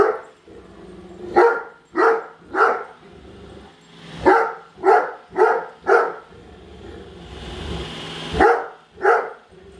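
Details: Great Dane Padme barking indoors while following a Roomba she hates; loud, irregular barks in short bursts of two to four, with the robot vacuum's hum beneath.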